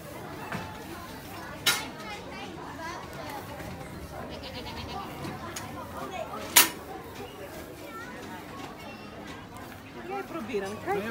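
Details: Goats at Goat Farm Ridammerhoeve in the Amsterdam Forest, bleating with a wavering, harmonic-rich voice amid a visit to the herd; children and adults chatter in Dutch throughout, with sharp clatters and bangs nearby.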